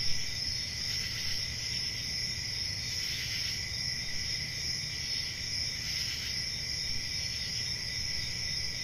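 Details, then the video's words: Crickets on a peaceful country summer night: a steady, shrill, unbroken trilling in two high bands, with louder surges around the first, third and sixth seconds, over a soft low rumble. "Relaxing Cricket Sounds For Sleeping"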